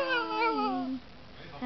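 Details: An eight-month-old male Boston Terrier singing along to his favourite song: one drawn-out, tuneful howl that slides downward and fades after about a second, with the song's music and sung lyrics faintly heard around it.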